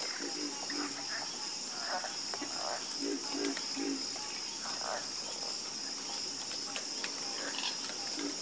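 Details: Soothing chorus of frogs, with overlapping low croaks and scattered rasping bursts arriving irregularly, set against a continuous high hissing drone.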